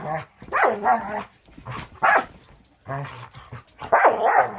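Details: Playful dog vocalizing while Angel, a six-month-old Border Collie mix from Wisconsin Border Collie Rescue, romps with Cisco: four drawn-out, gruff barks with growly, whining tails, spaced about a second apart.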